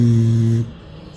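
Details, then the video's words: Pit bull snoring in calm sleep on a porch: one low, droning harmonic snore of about 0.6 seconds that cuts off, followed by quiet. "Pit bull roncando durante o sono tranquilo na varanda"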